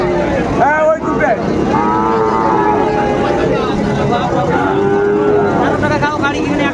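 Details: Sahiwal bull calves being bought and sold at Ambari cattle market, Dinajpur, Bangladesh, 20 January 2025. Two drawn-out, slightly wavering moos, each about a second long, rise above busy market chatter and haggling voices.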